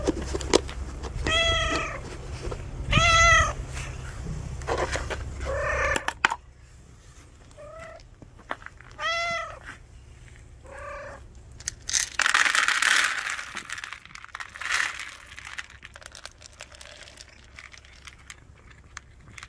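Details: A house cat and a stray cat being put in the same room: short clear meows, about six in two clusters, each rising then falling, with rustling and a burst of hissy noise afterwards.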